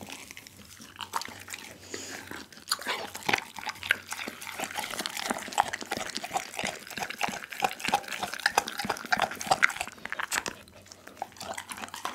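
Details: Pit bull named Doggy working through a whole raw chicken: steady, close, wet crunching with rapid irregular bites and bone cracks, and a brief lull near the end over a low steady hum.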